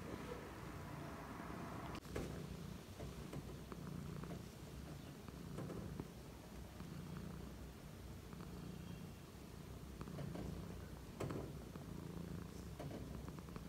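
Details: Relaxed cat purring, a soft low steady rumble pulsing in regular waves about once a second over faint background hiss, with a few light clicks and knocks.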